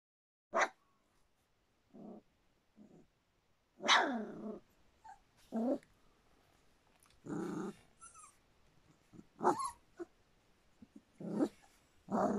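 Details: Standard Poodle puppies, a little over three weeks old, give scattered short whimpers and grunts indoors, one longer descending whine midway, separated by quiet gaps.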